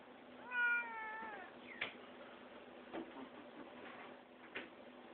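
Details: Indoor cat enjoying organic catnip, recorded January 2011 on a BlackBerry phone; a single brief, slightly falling meow near the start, then quiet rustling and faint knocks in a small room.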